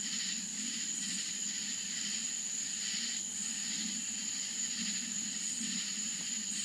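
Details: Florida country night with crickets: a constant high-pitched ringing tone above rhythmic, throbbing chirp bursts roughly every second, over a murmuring low drone.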